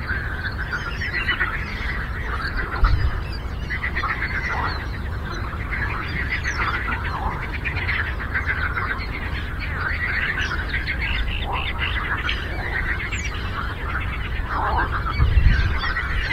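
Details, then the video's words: A lake frog symphony: dense rasping, pulsing croaks from numerous frogs blending into one unbroken chorus, a few louder low thumps standing out against steady low-pitched noise. "Frog Croaking"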